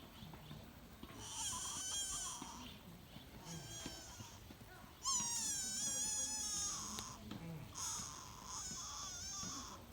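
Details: Sika deer fawn at Todai-ji temple in Nara, Japan, calling in high, thin, wavering bleats. Four drawn-out cries, each lasting a second or more, are loudest near the middle, over low background hum.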